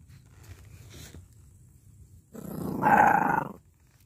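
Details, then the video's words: An 8-week-old American Staffordshire Terrier puppy gives its first growl: a rough, noisy rumble of just over a second with a faint whining tone inside it, after a stretch of quiet background. "Amstaff Welpen 8 Woche erstes knurren"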